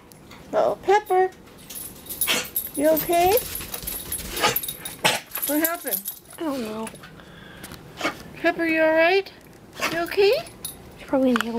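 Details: Pit bulls playing in snow give repeated high, wavering whines and yelps, several bursts in quick succession, with people talking in the background and crunching snow.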